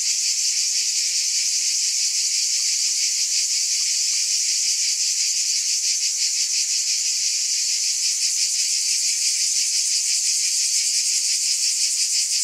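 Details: Chorus of cicadas forming a constant shrill wash of sound, finely pulsed and never stopping, evenly loud across the whole stretch with nothing else audible.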